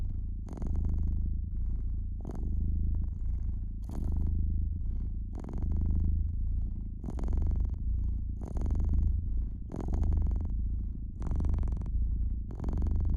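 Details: Relaxed domestic cat purring beside a fireplace, a low continuous rumble breathing in slow waves while the fire crackles and pops in short bright bursts throughout.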